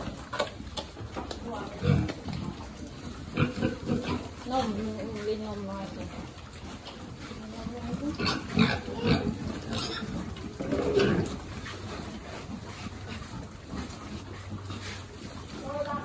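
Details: Farm pigs at feeding time giving low grunts and occasional louder squeals at irregular intervals, with speech mixed in.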